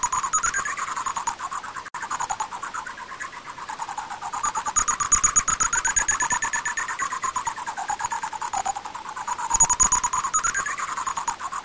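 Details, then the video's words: Greater horseshoe bat recorded by Korea's National Institute of Biological Resources in 2020: a rapid train of clicking pulses, about three per second, over a wavering tonal band that rises and falls, with a thin steady high whine. "박쥐소리, 관박쥐"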